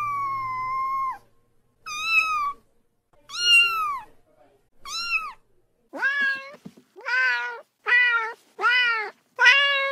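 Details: Young cat from a mountain village, its recording offered as a countryside rat repellent, gives a long level meow and then eight shorter, arching meows, each roughly a second long, becoming quicker and more insistent toward the end in a quiet room.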